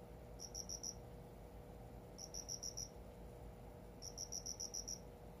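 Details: Indoor cricket singing in its new home: three clear bursts of rapid, shrill chirp pulses, the last one longer with about six beats, separated by short pauses, with soft room hum beneath.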